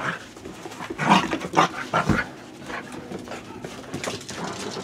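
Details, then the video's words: ['Corgi having fun indoors, giving short uneven bursts of vocal sound, strongest between one and two and a half seconds, then quieter scattered noises.'] "Corgi has fun."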